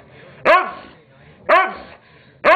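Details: Pet dogs playing together indoors, one dog pestering another into play while a third protests; three loud, harmonic barks roughly one second apart, separated by quieter background between them.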